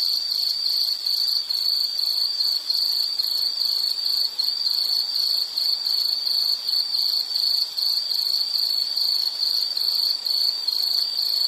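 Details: A continuous high, ringing insect trill that pulses roughly twice a second in an even rhythm, with faint higher overtones and no other voices or noises.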